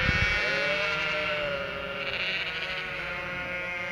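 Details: A chorus of Cotswold sheep with three-week-old lambs bleats nonstop, anticipating the farmer's feed; long tremulous baas layered over one another, a short thump at the start.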